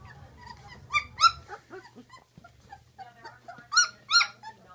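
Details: Sixteen-day-old Great Dane puppies squeal in high, harmonic, wavering cries. Loud bursts come near the start and again near the end, with softer whines between and a low hum at first.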